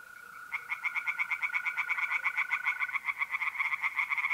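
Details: Night chorus of tree frogs in a pond in north-east Italy, mid-April: fast, even train of raspy pulses about four per second, over a continuous high mole cricket trill that fades midway.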